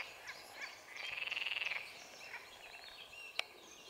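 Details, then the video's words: Green frog (Pelophylax sp.) at a pond in the Drage valley, 25 May 2023, giving one rattling, pulsed croak of about a second made of rapid clicks, with faint other croaks and a sharp knock afterwards. "SALIENTISA Pelophylax sp. ZELENA ŽABA"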